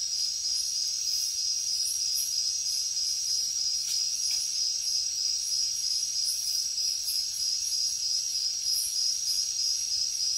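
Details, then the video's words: Night-time jungle cricket chorus: a continuous high-pitched ringing trill with rhythmic, higher chirping pulses layered over it, steady in loudness throughout. "Insects sounds | Cricket sounds |Jungle night"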